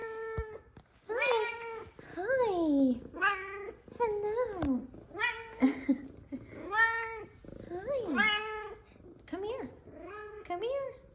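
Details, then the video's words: F2 Savannah cats greeting their owner, happy to see her; one meows up a storm while another purrs. Loud, repeated rising-falling harmonic meows about every second, with a woman's voice speaking softly between them. "Cute Excited Meows And Purrs! F2 Savannah Cats Zara And Kumba Are Happy To See Me!"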